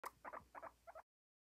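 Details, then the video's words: Popcorning guinea pig making short, squeaky chirping bursts, four quick clusters within about one second, each a pair of tight high squeaks. "Popcorning Guinea pig"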